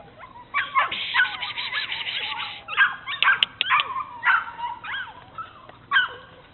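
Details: Two Bernese Mountain Dogs, Mrs. Red and Mr. Green, exploring at Cape Bernese Kennel: shrill whining squeals and short yelps come in clustered bursts separated by brief pauses, with a faint low background hum.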